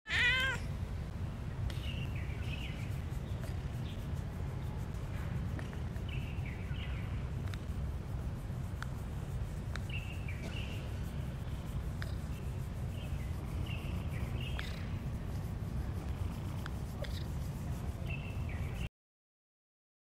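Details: Domestic cat giving a string of short, high meows spaced a second or two apart, over a constant heavy low rumble of background noise.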